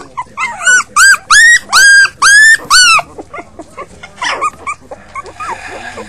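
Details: Puppies from a litter of five giving six loud, evenly spaced arching yelps in the first three seconds, then fainter whimpers and some rustling.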